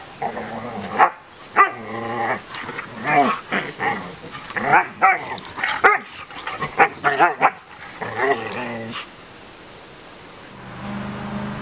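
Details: Two Siberian Husky puppies, Dash and Kitana, playing bitey face together in a backyard. About a dozen short, harmonic yelping barks and growly whines come in bursts over eight seconds, then fade to a quiet low hum.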